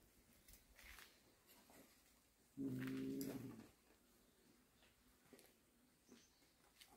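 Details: Warehouse cat, one of a cat family, makes a single low, droning growl-like moan of about one second, with faint knocks and rustles in a quiet indoor space before and after.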